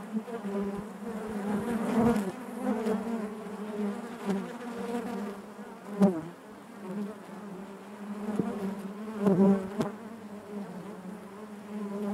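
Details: Steady droning of many honey bees within the hive: a low, even buzz layered with higher overtones, rising in brief louder surges and occasional soft knocks against the comb.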